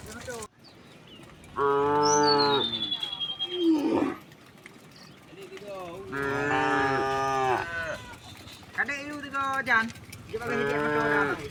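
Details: A herd of dozens of tame cows walking in a line through a path to a grassy hill; several overlapping moos, some wavering and some short, with a thin whistled bird note and background shuffling.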